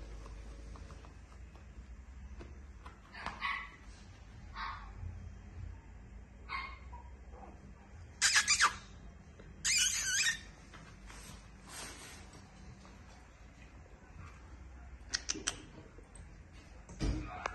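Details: A male Yorkshire Terrier puppy gives scattered high, squeaky yips and short barks over a low hum.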